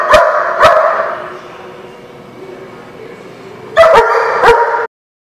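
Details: Dog giving two ringing barks, a lull of low background rumble, then two more barks in quick succession before the sound cuts off.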